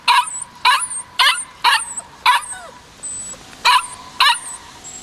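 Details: Kishu puppy, white male aged 56 days, recorded 14 March 2020, barking steadily about twice a second, eight bright yips with short gaps, thin high whistled chirps faint behind.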